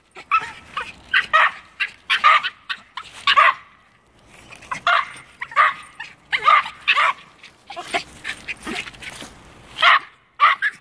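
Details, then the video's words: A pair of Norfolk Terriers bark at a squirrel that has climbed a tree, a dense overlapping burst of shrill barks and yips in clustered volleys with a brief lull midway. "Two cute Norfolk Terriers barking up the right tree!"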